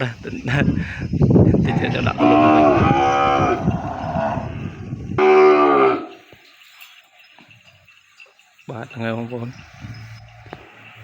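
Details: Penned calf crying for its mother after being separated from her at weaning: several long, harmonic moos, some drawn out for over a second, with pauses between and faint pen noise.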